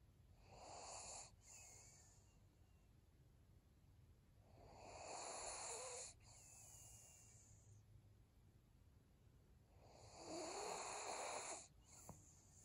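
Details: Senior pug named Maria sleeping, three slow breathing rushes about every five seconds, each a breathy wheezing swell lasting a second or more, separated by quiet pauses; steady faint low hum underneath.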